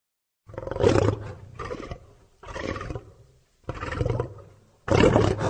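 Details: Lion roaring in four separate hoarse bursts about a second long, separated by short pauses, deep and rasping with a breathy, throaty texture, the last burst the loudest.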